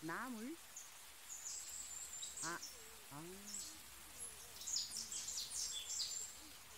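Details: Jindo dogs out on a walk in Busan, jealous of each other, give wavering high whines. The first has a quick vibrato, and short rising cries follow a few seconds later, over people talking and a steady high insect buzz.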